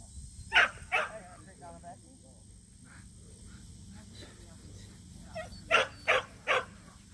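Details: Two Samoyeds, Mozart and Zuko, at their first local match show; a pair of barks opens, then quiet talk and murmur, before a closing run of three sharp barks.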